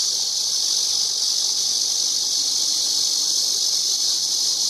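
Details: Cicada song as an unbroken, high, sizzling drone at constant loudness throughout, with no other clear sounds.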